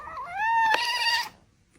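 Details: Domestic cat, described as angry, sitting on a table with its tail twitching: a single clear meow with a rising start, holding a steady pitch before ending abruptly, followed by near silence.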